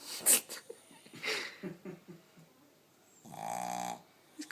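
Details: Gizmo, a blind pet dog, snores while taking a snooze; after soft human voices and rustling, a single drawn-out snore with a buzzy, fluttering, harmonic tone lasts close to a second.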